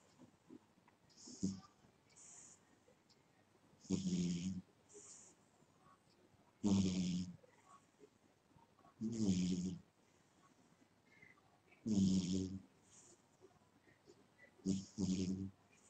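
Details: Domestic cat asleep, snoring steadily: rasping, buzzy breaths with a low humming tone, repeating roughly every two and a half to three seconds over a faint quiet background.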